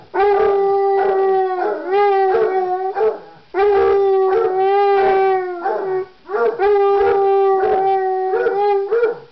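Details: Pair of basset hounds, Floyd and Fred, expressing themselves in loud, prolonged howls, three long steady-pitched bouts of about two to three seconds each, voices layered with slight rises at the ends.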